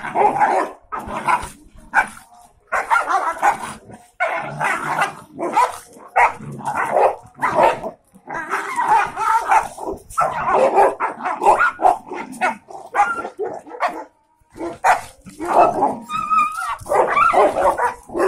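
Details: Four friendly dogs, a German shepherd, brown Doberman and two Labradors, going wild in rough play: loud continuous bursts of snarling barks, yips and growls, overlapping with short gaps between frantic exchanges.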